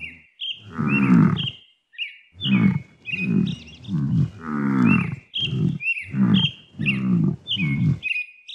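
A water buffalo gives a run of low, moaning grunts, one after another, while small birds chirp above.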